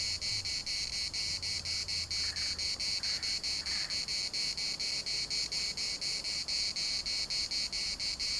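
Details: Cicada chorus in a Larnaca municipal park, shrill continuous buzz broken into regular pulses roughly twice per second, a few faint bird calls and a low rumble in the background.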